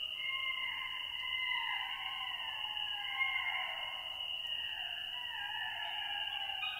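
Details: A pack of golden jackals howling together: several overlapping voices glide up and down in long wavering wails, crossing one another in a layered chorus, over a steady high insect-like whine that runs throughout.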